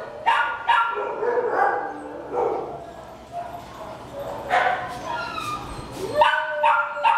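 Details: A 10-year-old senior male Labrador Retriever alone at a shelter in Baldwin Park, California, gives a run of short, mid-pitched barks and yips in irregular bursts.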